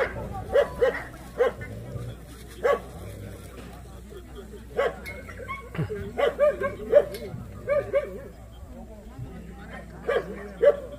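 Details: Jindo barking at the 66th Korea Best Jindo Dog selection contest, a dog show of the Korean Jindo Dog Association: sharp, short barks come in irregular bursts, about a dozen in eleven seconds, over steady human talk nearby.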